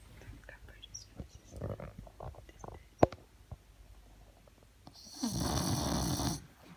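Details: A French bulldog snoring, said to sound like a human: soft irregular snuffling breaths, a sharp click, then one long loud rasping, hissing snore of over a second in a quiet room.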